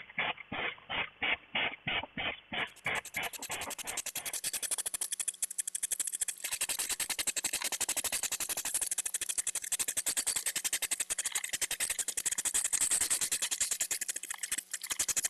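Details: Two hedgehogs courting in a hedgehog feeding house during mating season, circling each other while snorting, mostly the females. Slow, separate huffs at first, then a rapid, steady run of harsh puffing pulses, about three to four per second.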